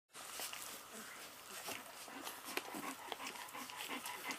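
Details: 26-day-old Golden Retriever puppies at bottle-feeding time make soft, scattered squeaks and snuffles, with a person's voice in the background.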